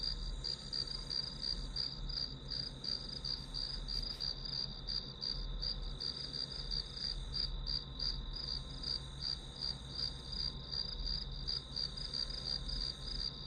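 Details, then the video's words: Continuous high, ringing pulsed chirps from grass insects, a fast regular beat near three per second, with steady low background hum and no other clear sounds. "풀벌레 소리"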